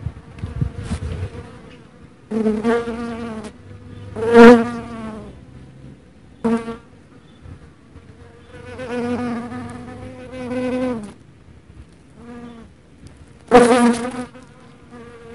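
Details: Dark honey bee (Apis mellifera mellifera), wing buzz.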